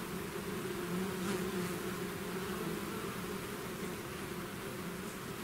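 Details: A swarm of bees out of its hive gives a dense, steady droning hum, low tones layered together with no pause, broken only by faint brief ticks.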